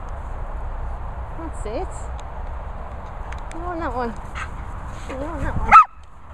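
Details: Holly Berry, an English Springer Spaniel, giving it large with wavering, rising and falling whines and short yelping notes that build up to one loud, abrupt bark at the end, over low background rumble.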